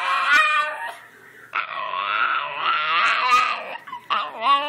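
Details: Miki the dog talking back indoors, a series of drawn-out, wavering howl-like yowls and whines in several bursts, rising and falling in pitch, with brief pauses and the owner asking what the matter is.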